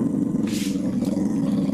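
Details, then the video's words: Pet dog in Kherson, 11 July 2021, guarding a piece of salo from a calm cat. It gives a steady, low, rumbling growl that continues without a break, while a woman talks to it nearby. "Собака охраняет сало от кошки. Прикол добрый 11.07.2021 Херсон. Рычит, но спокойствие кошки"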